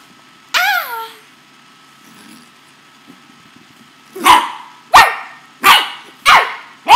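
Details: Napolean, a playful male corgi, lets out a high wavering yelp with falling harmonics, a pause, then four sharp loud barks in quick succession, roughly every two-thirds of a second.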